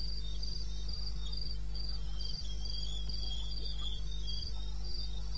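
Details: Regular high cricket pulses, about four a second, from the wilderness of eastern Botswana at 2:30 AM on 21 May 2016, joined by a quieter wavering chirp and set against a steady low-pitched hum.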